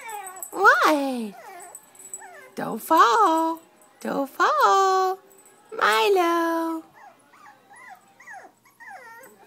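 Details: Chiweenie dog indoors, barking at its owner after being left on the sofa and not taken along; several drawn-out, whiny barks with falling pitch tails, separated by pauses, with a person's voice talking nearby.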